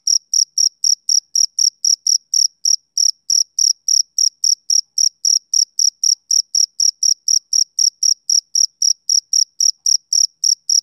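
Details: Rhythmic chirping of a male cricket, summer evening: an unbroken train of bright, high chirps repeated roughly four times a second, clean and even, with nothing else audible.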